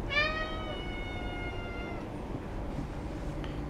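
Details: Cat at a cat café in Sendai, Japan, begging, one of a senior cat and kitten pair; a single long tonal meow lasting about two seconds, steady then gently falling, over low room hum, followed by quiet indoor background.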